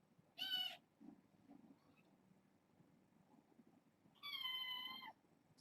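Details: Young domestic kittens at bedtime indoors, part of a six-kitten litter born August 29th; two clear, high, harmonic meows, the second longer and level, separated by about four seconds of quiet.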